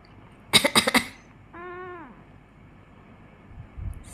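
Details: Pet cat Mogu, said to get angry whenever its owner coughs: three sharp human coughs, then one drawn-out, slightly arching meow lasting about half a second that drops in pitch at the end, in a quiet indoor room.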